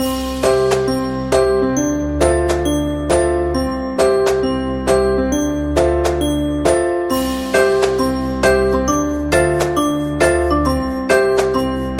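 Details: A bright chiming melody of bell-like mallet notes repeats steadily over a low sustained bass, with no animal voice.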